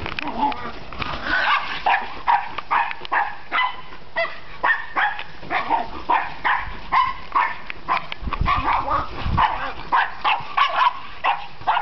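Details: An energetic dog barks in quick, repeated bursts across the whole stretch, several sharp barks every couple of seconds with brief pauses between runs, and no other clear sounds.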